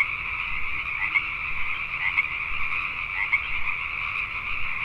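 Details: Many Pacific tree frogs chorus at night in Richmond, British Columbia, Canada. A continuous, thick wall of croaking trills holds steady throughout, with closer individual calls popping out about once a second.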